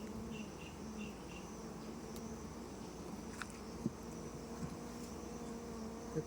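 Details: Honey bees hum inside a shipping box being opened for transfer. The drone is even and continuous, with a few soft taps and handling noises over it.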